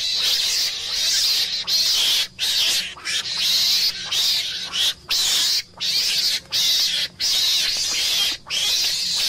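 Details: Rasping, noisy meerkat screams run into long, rough bursts, some lasting over a second, broken by short silent gaps at an uneven rhythm over a steady low background hum.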